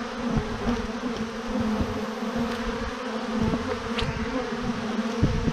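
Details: Thousands of honey bees in a swarm hanging from a branch in one massive clump, giving a steady, dense, low hum with a strong drone throughout and a fainter higher overtone, along with scattered crackles and knocks.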